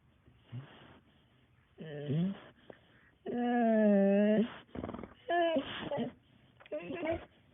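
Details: Dog whining indoors: several high, tonal whimpers, the longest a steady drawn-out whine of about a second, others short and bending upward, separated by soft breathy, noisy sounds.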